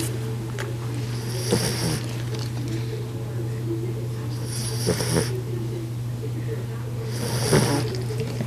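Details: Golden retriever puppy, female, asleep and curled in a ball, snoring like her grandfather: soft breathy rasps recurring about every three seconds over a steady low electrical hum.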